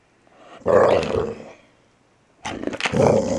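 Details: Playful growling from Archie, a gentle Valley Bulldog aged just over three, grabbing and snarling during a morning game; two short gravelly growl bursts split by a second of near silence.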